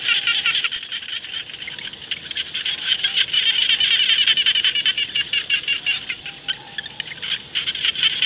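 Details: Jana frogs calling in rice fields, a thick chorus of rapid high pulsed rasps. Louder bursts swell and fade in an uneven rhythm of roughly two to three per second over a steady chorus.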